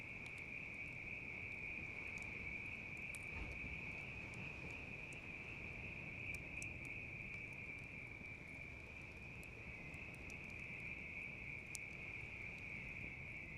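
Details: A bell cricket chorus keeps up an even, bright trill without pause, while a campfire pops and crackles irregularly over a low, hissing background.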